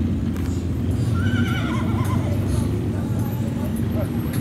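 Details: Horse whinnies during a Juneteenth celebration parade in Dekalb, Texas, 2022; a short quavering, descending neigh rises above loud low engine rumble, hoofbeats and nearby voices.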